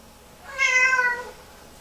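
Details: Female Lynx Point Siamese cat indoors, distressed hours after a bath, during one of her repeated meltdowns in the bathroom: a single loud, drawn-out harmonic meow lasting under a second, holding steady then sliding slightly downward, in a quiet room.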